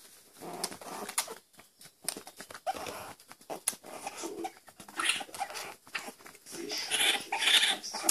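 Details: Baby raccoons being fed: dense smacking and clicking feeding noises, with high, thin squeals and chittering growing louder toward the end.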